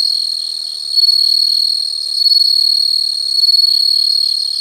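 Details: Continuous shrill insect trill, very high and unbroken, rising and falling gently in loudness in slow waves, with a fainter rapid pulsing texture beneath it.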